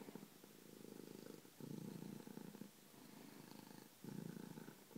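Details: A loud, steady purr from the pet cat Bronco Kitty. Four deep, buzzing phases of roughly a second each alternate with short softer breaths, close to the microphone in a quiet room.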